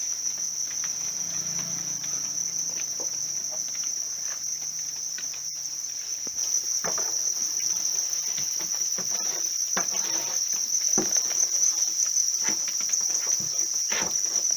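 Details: Captive house crickets being raised, their continuous shrill trill ringing at a constant high pitch, overlaid by frequent clicks, rustles and brief knocks that grow busier toward the end.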